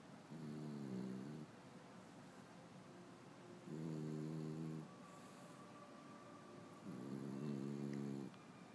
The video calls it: French bulldog snoring